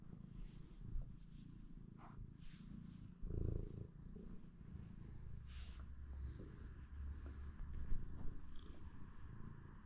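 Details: Morning purring from a pet cat, a continuous deep throbbing rumble in low, even pulses, a brief louder rustle near the middle and faint background hiss.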